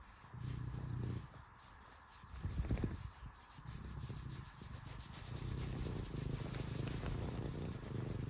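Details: Serval purring up close: deep, steady rumbling throb in long stretches broken by short pauses, with one louder rustling burst in the middle.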